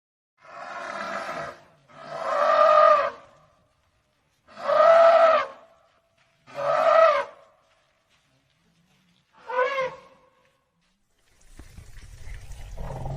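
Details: An old Asian elephant gives a series of loud, brassy, trumpet-like blasts, each lasting about a second.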